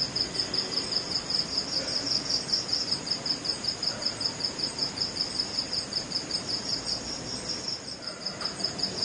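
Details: Crickets calling at night to attract mates in West Bengal, India: a steady, high-pitched pulsing trill, several even beats per second, continuing unbroken with a faint background hiss.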